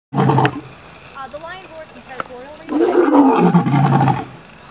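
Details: Captive lion at a big cat rescue in Tampa, Florida, heard from about three feet away: a short rough burst, a quieter stretch with faint voices, then a long, deep, loud rasping roar that slowly fades.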